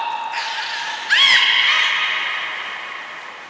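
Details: Beluga in training at Port of Nagoya Public Aquarium, Mirai and Niko session, 20 February 2021; a faint steady tone, then a sudden upward-sweeping harmonic whistle that levels off and fades slowly.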